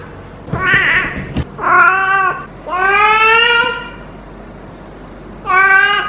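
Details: Feral female domestic cat in her first heat cycle, rolling while being petted at the base of the tail, gives long drawn, harmonic-rich wavering yowls, four loud calls over six seconds separated by short quiet gaps, indoors.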